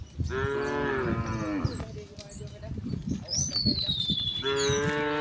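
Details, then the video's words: Herded tame cattle on a village road heading to the pen in the afternoon: a long, falling moo of nearly two seconds, then shuffling hoof and ground noise, and another moo starting at the end, with a bird whistle between. "the sound of cows mooing"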